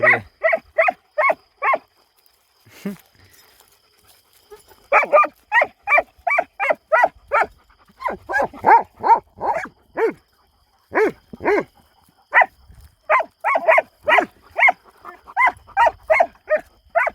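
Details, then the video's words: Unchained Kangal dogs at night on a farm in a night hunt, filmed with night vision: bursts of fast repeated barks, several dogs answering one another, a short lull, then dense barking resuming. "KANGALLARIN GECE AVI - KÖPEKLER ÇİFTLİKTE KUŞ UÇURTMUYOR ( KANGAL ATTACK )"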